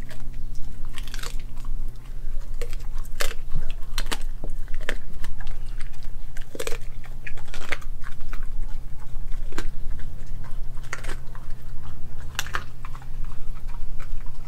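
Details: Crunchy, wet biting and chewing from Nala, a Kelpie and German Shepherd mix dog, working through a raw meal of beef heart, liver, chicken feet, chicken thigh and a homemade raw chicken nugget; dense, fast, irregular crunches throughout, with a steady low hum.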